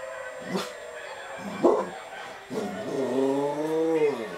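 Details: Domestic dog trying to howl. Short soft whimpers and scuffing noises come first, then a single rising and falling howl of under two seconds that ends abruptly.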